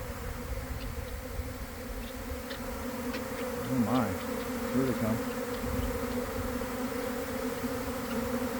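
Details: Inside a developing honey bee swarm by a garden hive in the early afternoon after a cold, wet week. A constant buzzing hum with two steady tones, and a brief wavering sound near the middle.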